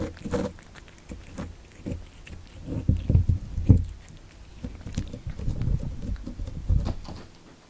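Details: Kitten born in December 2019 eating cat candy indoors: scattered crisp bites and soft smacking, a few louder crunches around three seconds, with low handling rumble between chews.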